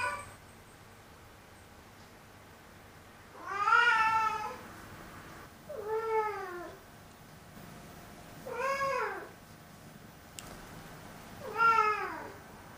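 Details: Black cat voicing complaints indoors, four separate meows spaced about two to three seconds apart, each short and slightly bent in pitch, grumbling and dissatisfied in tone, against a quiet room.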